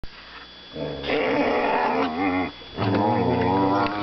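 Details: Two young whippets mouth wrestling indoors, one giving a low rumbling growl that swells into a longer moaning, harmonic grumble, then breaks and resumes.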